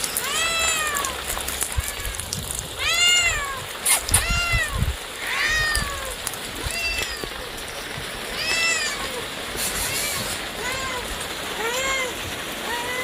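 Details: Cats and kittens meowing, with arched, harmonic-rich meows rising and falling, repeated roughly every one to two seconds over a steady hiss, with a few clicks and bumps in between.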